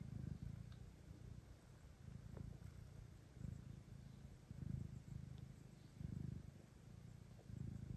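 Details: Lactating house cat Kira, a mother with kittens, meeting two blind orphan kittens offered for adoption; deep purring rises and falls in rhythmic waves about every one to one and a half seconds, with faint brief clicks above.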